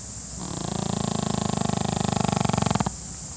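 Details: A Pekingese napping snores with one long, low, fluttering rattle on a drawn breath.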